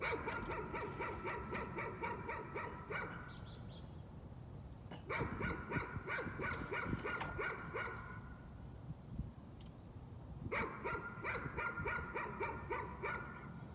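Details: Dog's nuisance barking in three long bursts of rapid, evenly spaced barks, roughly three per second, separated by short gaps, with a steady low hum in the background.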